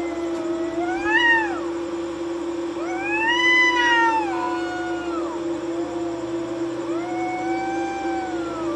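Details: Two cats fighting at night while sitting on a courtyard wall: long, drawn-out wailing yowls that rise and fall in pitch, three main cries with brief gaps between them, over a steady low electrical hum.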